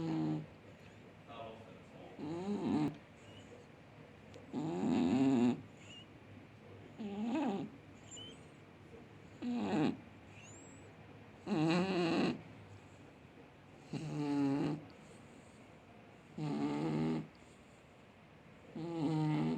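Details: Sleeping cat snoring loudly, likened to a grown man: rough, rhythmic snores roughly every two to two and a half seconds, each a buzzy, harmonic-rich rasp lasting about a second, with quiet breathing between.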